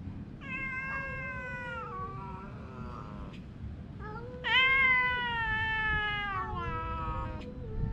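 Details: Domestic cat meowing during a fight with its mate: two long, loud, strained meows with rich harmonics, the second louder and wavering before trailing off, over a quiet low hum.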